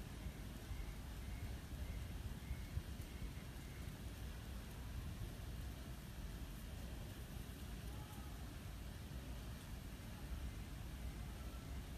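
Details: Steady low rumble of traffic or wind noise with no clear animal calls.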